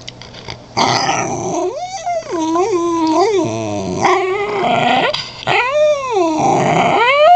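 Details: A female wheat-coloured Cairn Terrier 'talking' up a storm indoors: long drawn-out moaning whines with rising and falling bends, like yodelled grumbles, in continuous phrases over several seconds, with a low steady hum behind.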